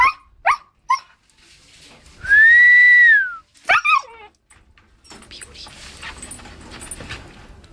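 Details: Bubble the Siberian Husky mixes barks and howls: three short sharp yips, then a clear high howl arching up and falling away, two more yelping barks, and a quieter stretch of room noise afterward.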